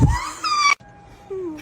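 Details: Cat out in a snowstorm giving a strained, high meow that rises and holds for under a second before cutting off abruptly, followed by a quieter, lower sliding cry; brief low thump at the start.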